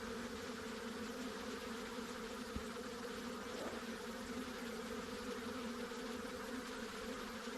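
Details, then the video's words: Steady droning of honey bees, a continuous hum with strong bands in the low-middle range and broad hiss above, unchanging throughout, with one faint click. "Honey Bees Sounds | Bees Sounds | Bee Buzzing Sound Effect | Honey bee Sound Effects"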